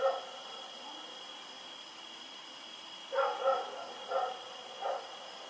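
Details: Night barking from Rex, a dog running about in the dark on 7 October 2018: one bark at the start, then a quick burst of three or four sharp barks after a quiet spell, against a constant high tone.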